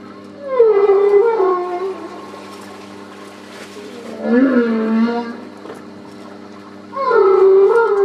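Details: Humpback whale song recorded on a whale-watching cruise off Port Stephens, New South Wales, Australia, on 8 August 2009: three moaning, tonal units with rich harmonics, some gliding up and down, separated by quiet gaps over steady low hum.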